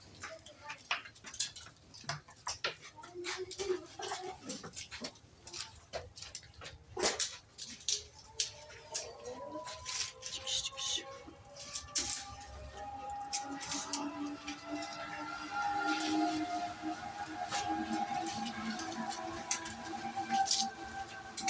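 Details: Goats on a farm keeping improved-breed goats at a friend's home: clattering knocks and short cries early on, then long wavering, overlapping bleats in the second half, with a person's voice in the background.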